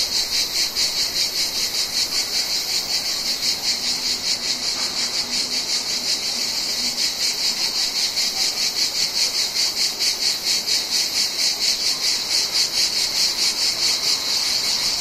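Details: Mediterranean cicadas in summer: a loud, high, rasping buzz pulsing rapidly and steadily throughout, with no other clear sounds.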